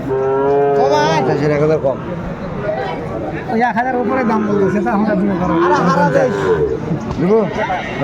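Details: Sahiwal cattle at a Comilla market in Bangladesh, 12 February 2025, giving a sustained moo of nearly two seconds, then scattered shorter calls amid voices and market chatter.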